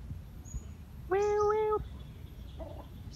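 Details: Homeless cat meowing: one clear, steady, mid-pitched meow lasting under a second, followed by a fainter, shorter second meow against a low background hum.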